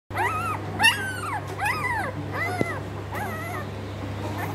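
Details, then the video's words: Newborn black Labrador Retriever puppy crying in high, whistled whimpers that rise and fall in arched notes, about five cries over four seconds, with a steady low hum underneath. "black labrador new born puppy"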